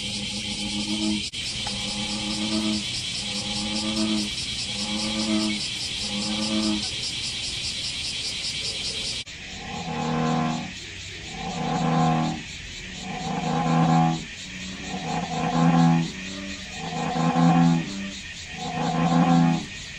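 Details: American bullfrogs at a dragonfly pond on July 5 give deep, droning, resonant notes in bursts about a second apart, over a steady insect hiss, where a family of moorhens with chicks lives.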